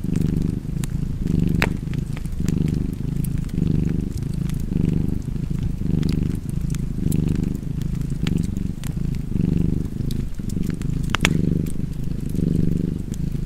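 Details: Domestic cat purring by a fireplace, a steady throaty rumble pulsing with inhale and exhale, while burning logs crackle and snap intermittently in the background.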